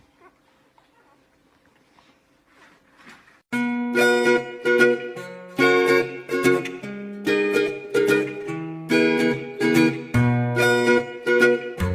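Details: A few quiet seconds in a small room give way to bright plucked ukulele and guitar music, with no animal sound.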